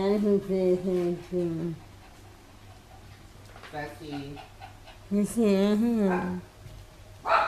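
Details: Pet dog Chai Si in Thailand, May 2012, 'talking' to a family member back after nearly two years away, as if scolding him for leaving. It gives wavering, yodel-like whines in rising and falling phrases, then quiet, then more whining.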